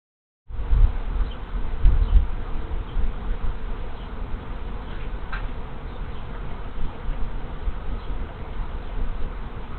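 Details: Honey bees arriving as a large swarm moves into an empty hive on 24 March 2023, scout bees having come first; a dense, low, steady buzzing hum sets in after half a second and holds throughout, louder in the opening seconds.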